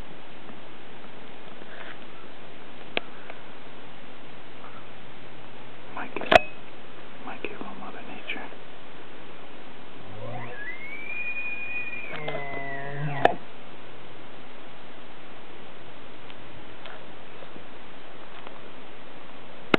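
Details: Elk in Rocky Mountain National Park, recorded 9/07, bugling: a low grunting onset gives way to a high whistled glide that rises and holds briefly, then breaks into stuttering harmonic tones, heard once midway over a steady low rumble.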